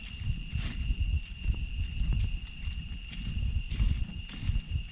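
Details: Cicadas calling in deep jungle along the trail back from Chhay Yong Waterfall, Areng Area, Koh Kong Province, Cambodia: a steady, unbroken high whine holding at several fixed pitches, under loud crunching footsteps of someone walking.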